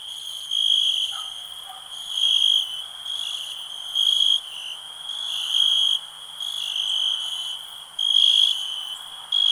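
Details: Cricket trilling for calm nature listening, a shrill sustained ringing tone pulsing on and off in uneven bursts about every second or two, with a brief quieter lower chirp near the start.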